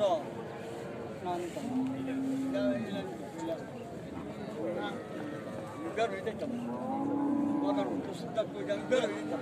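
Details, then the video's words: Calves, from a compilation of baby cows in India: two drawn-out, low, steady moos, the first near two seconds and the second near seven seconds, over a busy background of chatter and outdoor noise. "Most Funny and Cute Baby cow videos compilation"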